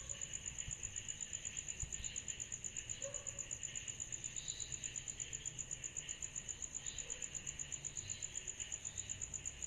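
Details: Summer night insect chorus credited to cicadas, with a sharp, high pulsing chirp repeating evenly about three times per second over a continuous airy hiss and a faint low background rumble.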